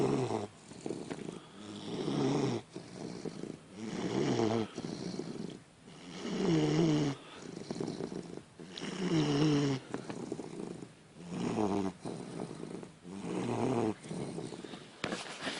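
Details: Sleeping 11-week-old Basset Hound puppy snoring steadily. Each rattling, low nasal snore lasts about a second and comes roughly every two seconds, with quieter breaths between them.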